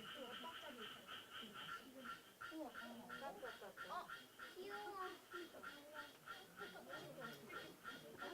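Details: Song of the endangered Suweon treefrog, found on Korea's west-coast plains with only about 2,500 singing males: a steady train of quick, reedy pulses, with a man talking over it.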